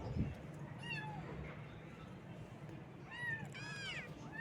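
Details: Morning meowing from baby kittens: one thin arched meow early, then after a quiet stretch a cluster of several high, curving meows near the end, with low rumbling background noise throughout.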